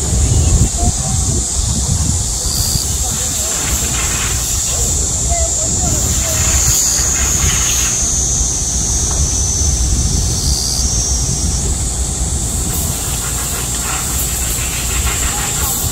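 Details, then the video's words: A loud midsummer cicada chorus in Korea during a heatwave, a steady high-pitched shrill buzz over low traffic rumble. "한여름 매미소리 - 데시벨이 엄청 나네요"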